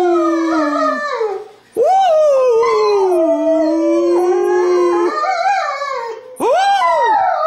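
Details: Christmas-morning howling by a family German Shepherd joining a child's singing: drawn-out wavering notes that rise sharply, then slide slowly down, with two breaks before a fresh rising howl.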